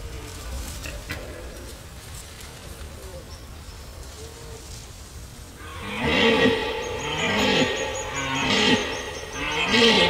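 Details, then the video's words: In Gemenc, Hungary, a red deer stag gives a run of deep, hoarse rutting roars after a quiet start. "Gemenci szarvasbőgés"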